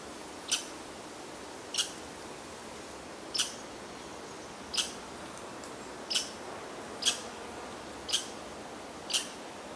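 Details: An American red squirrel (Tamiasciurus hudsonicus) on the Wood Duck Trail, Wallkill River National Wildlife Refuge, Sussex County, New Jersey, gives sharp, high chips about every second over a steady background hiss.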